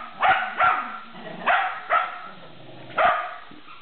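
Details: Sheltie at play during a tug game, giving sharp bright barks in a loose pair, then another pair, then a single bark after a pause.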